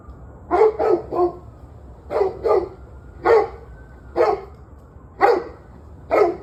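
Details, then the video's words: Dog barking on 21 November 2023 at about seven in the evening: loud, fairly steady barks, some paired, coming roughly every second over a low background hum. "Barking Dogs"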